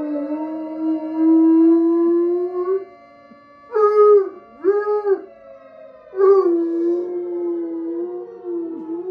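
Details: A bloodhound-coonhound mix howls in long, mournful notes that rise and sag, joining a tornado siren played from a phone.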